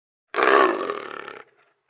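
A leopard lets out one rough, throaty rasp, loud at the start and trailing off after about a second. Only faint background noise follows.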